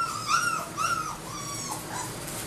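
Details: Labrador Retriever puppies, AKC registered, whimpering: drawn-out high whines that rise and fall, two strong ones in the first second followed by softer wavering cries over a low steady hum.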